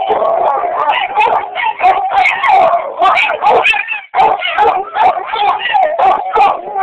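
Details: Two dogs, Roach and Rocco, answering each other in loud overlapping howls, each voice wobbling up and down, with one short pause before the joint chorus resumes.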